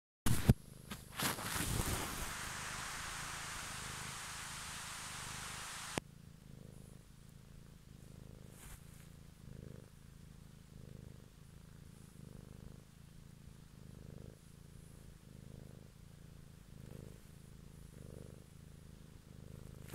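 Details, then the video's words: Domestic cat purring in an evening ASMR recording: a steady low rumble with soft breathing pulses roughly every second, preceded by about six seconds of loud broadband hiss and a few handling bumps. "ASMR Cat song"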